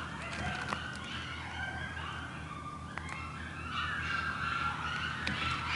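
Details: Coyote pups in Stanley Park give high, wavering whines and yips over a steady low hum.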